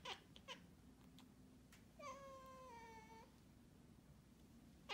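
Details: A cat meows once, a drawn-out harmonic call that holds level then slides gently downward over about a second, set among soft clicks and taps in a quiet room.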